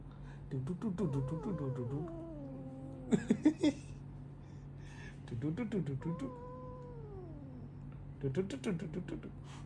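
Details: Pet cat yowling angrily indoors after being stopped from biting a phone charging cable; long drawn-out falling meows with clear harmonics, several in a row, mixed with a woman talking and laughing.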